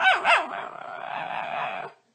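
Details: Talkative pet dog giving a drawn-out vocal utterance: a few quick wavering, bending yowls at the start that smooth into a steady, hoarse, breathy tone lasting nearly two seconds before stopping abruptly.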